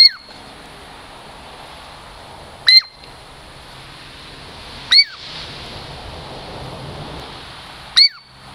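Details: Native Puget Sound lowland Douglas squirrel, a friendly female approaching for a treat, repeats four shrill falling squeaks at uneven intervals over a steady rushing, surf-like background noise.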